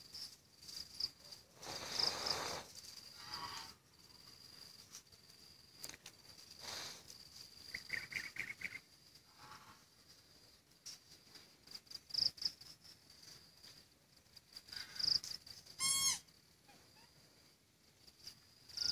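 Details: A cicada that arrived in Sihanoukville City, Cambodia, gives a steady, high, shrill buzz that runs continuously with brief pulsing accents.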